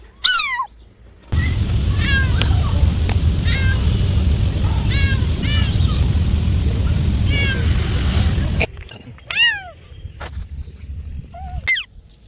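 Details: Cat giving short, sharply descending meows, several in quick runs, first clear, then over a loud low rumbling engine-like noise for about seven seconds, then clear again with a few falling cries.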